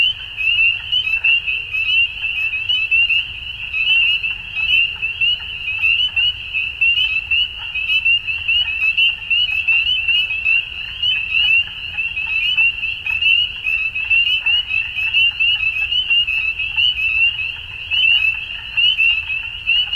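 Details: At dusk in spring in Ontario, Canada, a large group of frogs keeps up an unbroken, high-pitched peeping chorus, individual calls overlapping densely with rhythmic swells in volume throughout.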